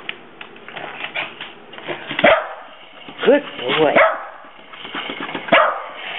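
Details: Havanese rescue dogs Clyde and Hunter, two brothers, confront a creepy green monster and bark for the first time: about four sharp, short barks scattered unevenly over several seconds, mixed with a person's voice urging them on.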